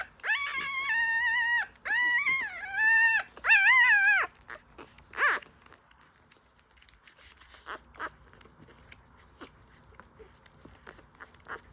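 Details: Five-day-old newborn French Bulldog puppies breastfeeding indoors; a few drawn-out high whining cries with wavering harmonics in the first seconds, then mostly quiet with faint suckling and shuffling sounds.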